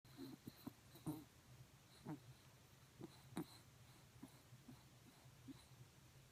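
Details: A sleeping dog snoring indoors: soft, rasping breaths repeated roughly once a second, quiet and steady over a low electrical hum.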